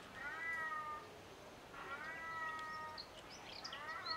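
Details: Ring-tailed lemurs at the lemur island of Opole Zoo in Poland give long, harmonic mew-like calls, level then gently falling, three in a row a little over a second apart, with faint chirps and quiet background hiss.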